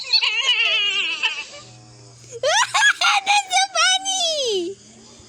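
A coyote gives wavering, high-pitched yips and quavers that end in a long, sliding howl.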